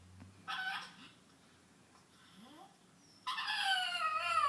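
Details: Female pet pug, reacting to being laughed at by its owner, gives two drawn-out, nasal, harmonic whining cries, the second longer and slowly falling, separated by a quiet pause.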